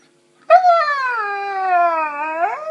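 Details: Pet female Saluki 'talking' indoors, complaining about her day; one sustained mournful howl of about two seconds, starting high, sagging lower, then curling back upward at the end.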